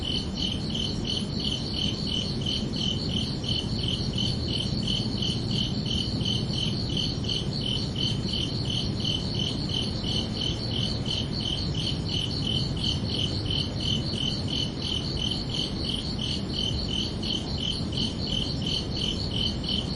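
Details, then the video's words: Crickets singing at night in summer: rapid, regular high-pitched chirps pulsing without pause for the whole stretch, set against a broad, even background rumble. "Calming Cricket Sounds for Relaxation"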